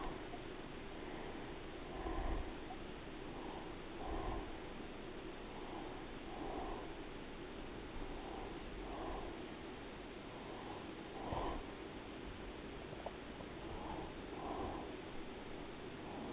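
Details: Resting house cat named Daisy purring through a long stretch, soft low rumbling pulses swelling with each breath cycle, occasional louder snorts and brief bumps indoors.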